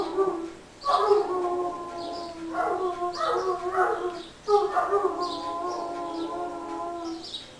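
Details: Irish Wolfhounds giving their group 'song' for St. Patrick's Day, long sustained howls with wavering tones, two main swells of overlapping voices separated by a short dip, steady chorus continuing to the end.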